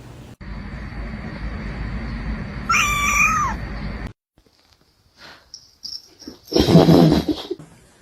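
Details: {'caption': 'Domestic cat giving a single short meow that rises and then falls, set against a steady electrical hum, followed by scraping and rustling noises.'}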